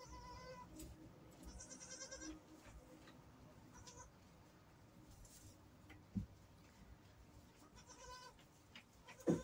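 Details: Newborn goat kid just after birth, giving thin, high, wavering bleats in short bursts spread across the clip, with occasional thumps and low background rumble.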